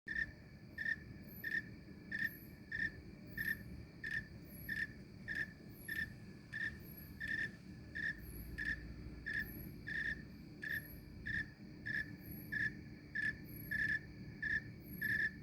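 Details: Snowy tree cricket in summer in Maine giving steady, evenly spaced chirps, about one and a half each second.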